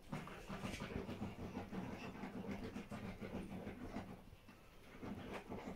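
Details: Pomeranian female named Bambi resting with her puppies one morning, in deep relaxation; rapid rhythmic breaths or soft pulses, about 200 a minute, steady low throbbing through the whole stretch, no voices or other noises.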